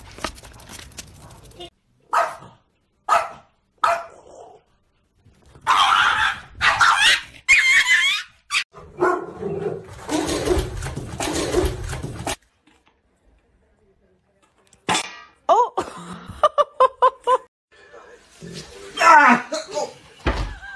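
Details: Angry dog barking indoors: short sharp barks spaced about a second apart, then a dense run of louder, harsher barks, a quiet pause, and a quick rapid-fire burst of yips and barks near the end.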